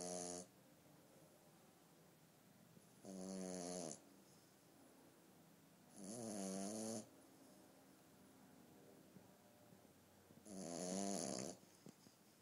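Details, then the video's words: French Bulldog puppy, a young female, snoring in her sleep before waking herself up: four rough, rattling inhaled snores about three to four seconds apart, steady and low, with silence between. "Snoring Frenchie Puppy Wakes Herself Up"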